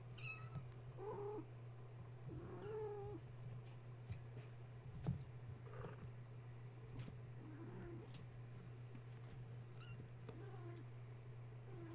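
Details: Wound-up kittens at bedtime, roused when the space heater went on, mew softly and repeatedly, about five small bent cries spread across the stretch, with a low steady hum and scattered clicks and taps from play.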